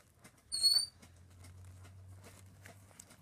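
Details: Chihuahua puppies, a family's own pets: a single short high-pitched squeal lasting under half a second, with a bright overtone above it. Then near quiet with faint rustling and a low steady hum.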